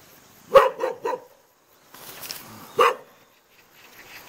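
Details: A Jindo dog at a hanok house yard in Jeonju, North Jeolla Province, Korea, barks three times in quick succession, then a soft rustling noise follows, then one single loud bark, then faint background sound.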